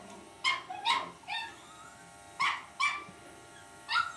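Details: A Cavalier King Charles Spaniel puppy gives short, high yipping barks in uneven bursts, confronting the faint electric hum of an electric shaver.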